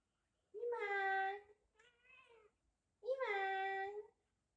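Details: Cats gathered on a hot summer night; a cat gives a loud, drawn-out meow, a softer short whine, then another long meow, each clear and tonal, indoors with little else heard.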